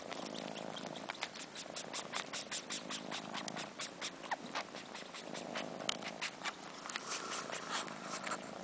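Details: Four-month-old kittens, fluffy Sheba and sister Carla, sucking fur as if nursing because they miss their mom. A low rhythmic purr pulses in waves while dense, wet slurping and sucking clicks come in quick bursts.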